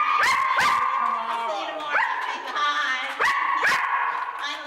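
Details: Luca, a chatty foster dog, produces repeated high, tonal yelps, each starting with an upward flick and then holding a steady pitch, coming about once a second over continuous whining; people greet him.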